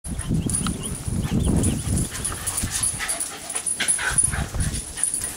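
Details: Two Shiba Inus dashing around a backyard during play; rough, low growling bursts fill the first two seconds with a few short higher yelps, then scuffling and rustling, under a steady faint high-pitched whine throughout.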